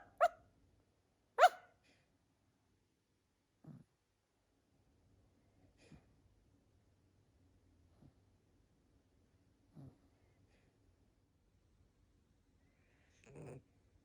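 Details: Dachshund puppy staying with the household, giving two sharp barks early on, then softer low, short sounds roughly every two seconds in a quiet indoor room.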